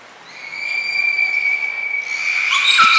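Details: Beluga during a training session with Nana, Mirai and Niko at Port of Nagoya Public Aquarium, 11 January 2021: a steady, pure, fairly high tone with faint overtones, ending in a sudden noisy burst of chirps.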